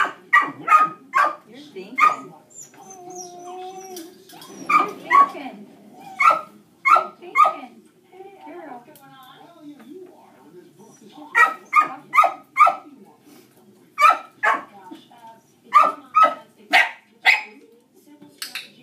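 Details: Other dogs keep barking while Dixie, a dog reactive to dogs, trains in a shaping session: fast runs of sharp barks, several per second, broken by short gaps. Gentle praise and muffled talk can be heard between the bursts.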